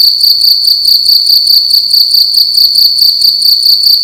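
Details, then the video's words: A cricket indoors in a room at night chirps loudly and steadily, a shrill high trill pulsing in quick repeated bursts. "Cricket making loud sounds at night in a room"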